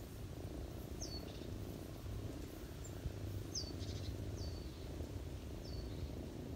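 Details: Ginger cat lying on a person's knees with its kittens in autumn, purring while feeding them: a steady low rumbling purr throughout, with short high bird chirps sounding faintly about once a second in the background.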